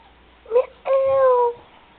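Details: Pet cat Malibu, a male, meowing back as if answering when talked to: a brief upward mew, then a longer, steady, slightly falling meow with clear harmonics, close and loud in a quiet indoor room.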